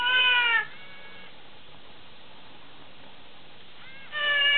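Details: Very tame lion cub; a loud, clear, tonal mewing cry opens the recording, a fainter one follows, then a long quiet pause before another strong drawn-out cry at the end.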